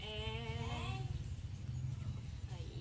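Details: Goat kid bleating while receiving an iron vitamin injection of 1 ml: a steady, tonal, harmonic bleat lasting about one second with a slight rise at the end, over a continuous low engine-like rumble.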